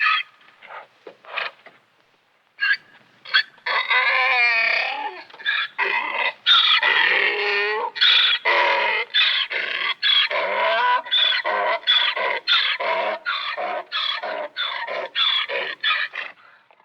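A donkey brays, a loud harmonic call that rocks back and forth between wheezy breaths in and honks out.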